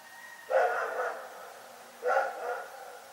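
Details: Rex the dog barking at night in Pyrga: two full, harmonic barks about a second and a half apart, each slightly drawn out, in a quiet setting.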